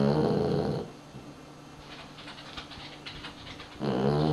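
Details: Pet dog asleep and snoring, one coarse, throaty low snore of under a second, a stretch of near silence, then another raspy snore beginning toward the end.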